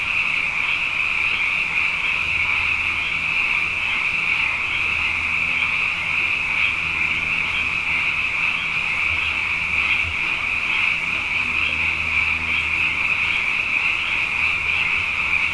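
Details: A thick nocturnal chorus of many frogs, plentiful after two wet years running: constant high, buzzy trilling layered from countless voices, accompanied by a faint low hum that comes and goes.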